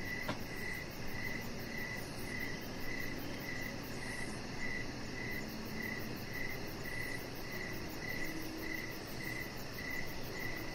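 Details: Crickets singing at dusk around a home deck with a resting chihuahua puppy; bright high-pitched chirps tick at a steady pace, about every 0.6 seconds, above a dense low hum, with one brief click near the start.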